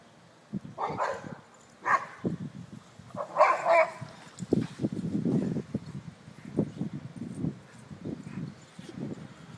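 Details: Boxer dogs, males at play with Bruno among them, give several clipped barks early on, then softer grumbling vocal bursts mixed with an owner's low talk, uneven and overlapping throughout.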